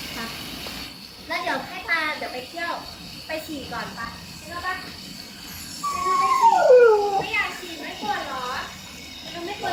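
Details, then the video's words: Young female Siberian Husky, talking since six months old, indoors: a run of short wavering whines and yodel-like moans rising and falling, one longer sliding howl-like note midway, with background household noise. "My Siberian Husky Start Talking"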